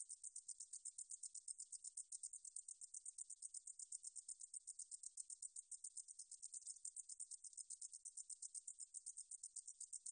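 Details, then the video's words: A meadow katydid (등줄어리쌕쌔기) sings in a 2020 National Institute of Biological Resources recording from Korea: a thin, hissing trill of fast, regular pulses that continues without pause over a silent background. "등줄어리쌕쌔기, 여러번 듣기, 곤충소리"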